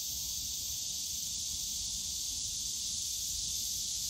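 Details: Steady high-pitched cicada drone in Yongsan Family Park's bamboo grove on a summer day, uniform and unbroken with no gaps, a light low rumble far in the background.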